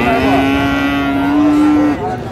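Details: Friesian or crossbred bull calf at Raniganj market, Dinajpur, 1 December 2024; one long, level, sustained moo lasting nearly two seconds, then market bustle and voices.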